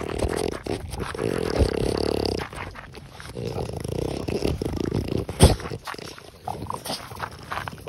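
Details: Pipari, a six-year-old female French Bulldog at a breeder in Hamamatsu, Shizuoka, Japan, looking for a new home: rough, snuffling snorts and low grunting breaths, dense for two seconds, then scattered clicks and rustles.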